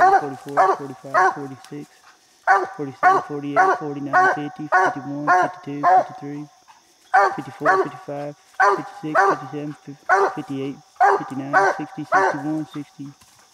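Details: Bandit the coonhound, treed on a raccoon in a little tree, said to bark 60 to 70 times a minute; repeated bursts of fast chopping barks separated by brief breaths, continuing throughout.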